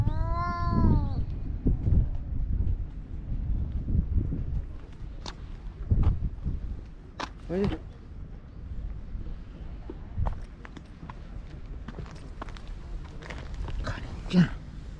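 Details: Spring quarrel among park stray cats, Tetra fighting as Karin and Shiro watch calmly: a loud wavering caterwaul opens, then short rising-falling cries, amid a person's Japanese voice telling the cats to stop fighting.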